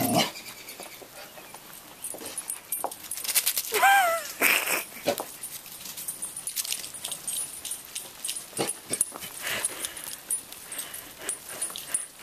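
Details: A frightened chocolate Labrador Retriever, afraid of roofing materials left in a driveway, gives a brief high whine that falls in pitch midway through. The owner speaks soothingly throughout, with rustling and handling noises.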